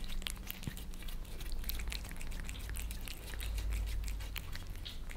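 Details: Maine Coon Lissy and British Shorthair Fritz, house cats in Germany, lapping their favourite creamy treats from a glass tabletop: quick, sharp tongue clicks tumbling together several per second over a faint low drone.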